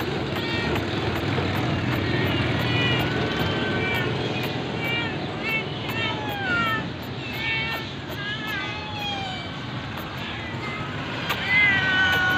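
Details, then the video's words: Hungry cat being given food: rising and falling meows repeated throughout over a steady rumble of traffic, with voices in the background. "any hangry cat givng food"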